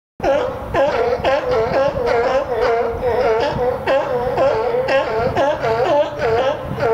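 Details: California sea lions at the Willamette Falls colony bark nonstop, their loud, harsh, throaty honks overlapping about twice a second so the din never pauses.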